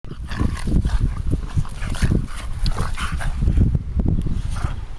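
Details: Two pet dogs, Leyla the Bulldog and Maylo the Pinscher, playing together: a dense run of low, rough grunts, snorts and growly breaths pulses almost without pause, with no clear barks standing out.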